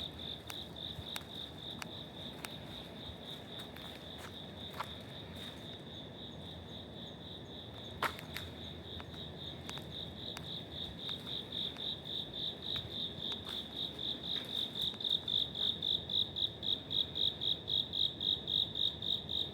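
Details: In an apartment block passage in Wada, Suginami, Tokyo, an autumn cricket sings a high, even train of chirps that grows steadily louder and crisper toward the end, with occasional sharp clicks early on.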